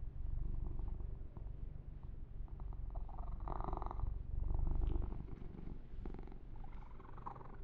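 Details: Purring of Yumak, a male pet kitten, during an ASMR massage with fur grooming: a steady low rumbling purr pulsing about four times per second, with brief brushing and rubbing noises over the fur.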